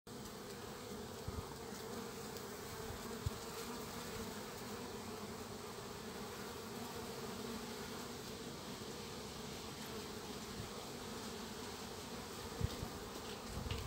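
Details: Many western honey bee foragers fly in and out of a hive's anti-hornet entrance tunnel in a steady, low, humming drone, forming a moving cloud that foils an Asian hornet's attack.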